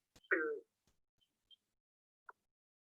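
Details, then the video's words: A green frog, native to New Hampshire, gives a single short, twangy gunk, like a plucked loose banjo string. "sounds kind of like a banjo."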